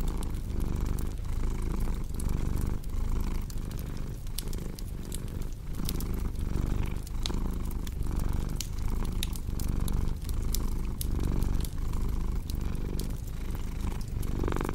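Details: Low rumbling cat purr in rhythmic breathing pulses, steady across the whole stretch, mixed with frequent crisp crackles and snaps from a burning fireplace.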